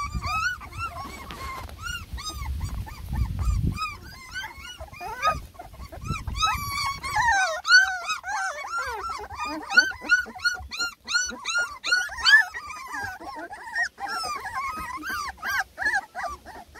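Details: Ten lemon and tricolor Beagle puppies, three and a half weeks old, complain while giving food a first try; many overlapping thin whimpers and squeals pour out continuously, with rumbling low noise early on.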